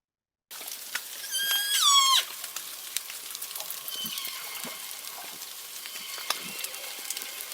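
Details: Northern Resident killer whales of G Clan, an acoustic clan of four pods, give loud, nasal, braying calls with sliding harmonics over crackling underwater hiss; clans are distinguished by their different call types.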